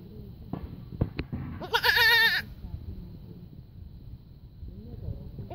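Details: Young goat kid giving a loud, shaky bleat of just under a second, with a rapid vibrato waver, after a few sharp knocks. Quieter bleats trail off over low rumbling noise.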